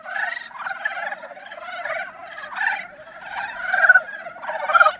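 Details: Breeding-season love song of Dybowski's brown frogs: many males croak together in pulsed, grating bursts that rise and fall about once a second, the chorus growing louder toward the end.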